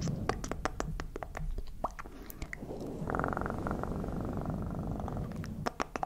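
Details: Cat purr rising after a run of sharp clicks and tapping, a steady pulsed buzzing hum held for about two and a half seconds, then more clicks as it ends.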